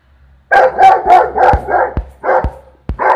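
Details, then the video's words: A St Bernard barks at a peacock, a run of deep, rough barks, about four a second in a quick burst, with a few sharp clicks or knocks between them. "St Bernard barking"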